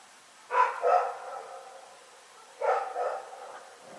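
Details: Night barking by Rex the dog, taped on February 27, 2018: two pairs of rough, tonal woofs separated by about two seconds of near silence.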